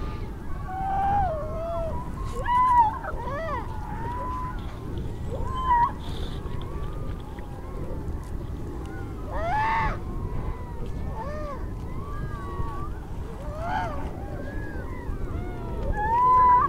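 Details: A newborn harp seal pup with a yellow coat, about half an hour to an hour old, on the ice gives wavering, nasal cries that rise and fall, almost like a human baby, while approaching to smell the photographer, mistaking them for its mother.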